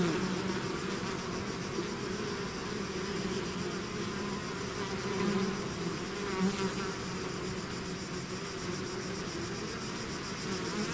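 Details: A bee swarm out of its hive fills the air with constant buzzing, a steady low drone where single bees swell briefly louder as they fly close, around the fifth and sixth seconds.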